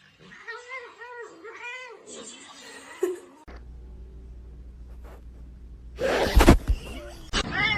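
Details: Pet cat meowing three times in quick succession, short arched cries, followed by a quiet low hum and then a sudden loud clatter and voices.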